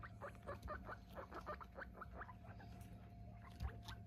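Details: Squeaks from a group of eight guinea pigs while they are weighed: a quick run of short rising chirps, several per second, over a steady low hum indoors.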